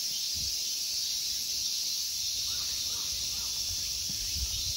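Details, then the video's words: Insects shrill steadily in summer at Ikegami Honmonji temple park in Tokyo, Japan, a smooth high hiss-like buzz; three faint short calls and soft low knocks are heard midway. "Summer insect sounds."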